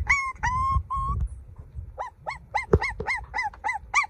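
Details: Young golden puppy gives a few drawn-out, level whines first, then a pause, then quick, clipped, arching yelps repeated several times a second.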